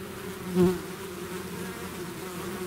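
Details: A bee swarm out of its hive makes a steady humming drone, with one bee zipping close past the recorder early on, a short louder buzz that fades back into the mass.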